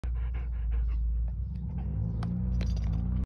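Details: Belgian Malinois dog eating ice cream, panting steadily with low rhythmic breaths throughout, a few soft clicks and licking sounds near the end.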